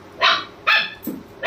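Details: German Shepherd dog barking to wake his owner at home: three short, sharp, loud barks spaced about half a second apart, bright and harmonic, with a softer low grunt between them.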